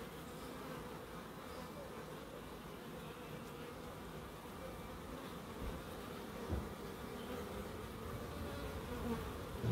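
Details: Garden bees in Crookes give a continuous low humming buzz, fairly constant, rising slightly louder toward the end as an insect passes closer.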